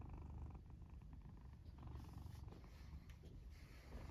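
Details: Short stretch of a sleeping black pet cat in its fort: dense low purring with faint snoring breaths layered over it, close and quiet.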